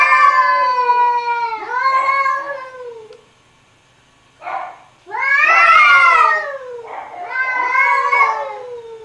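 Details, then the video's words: Arguing cats trade long, rich, nasal yowls that swell and sag in pitch, a short grumble in the middle pause, then two more loud drawn-out howls back to back. "Funny Cats Arguing Cats Talking To Each Other"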